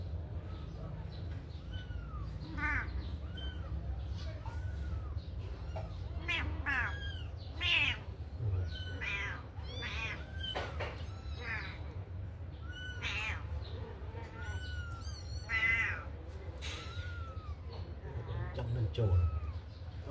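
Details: Kittens freed from a cage to play make a busy run of thin, high arched mews, many short calls in quick succession through the middle stretch, over a low droning hum.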